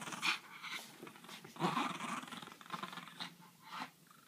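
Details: A French bulldog, facing a griffon, growls and snorts in short, rough bursts, with a louder growl midway.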